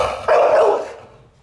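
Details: Hewie, a pet Pit Bull, cries as his owner prepares to leave him behind: one short, tonal, whining yelp lasting about half a second with rich harmonics, breaking off abruptly and then fading into quiet.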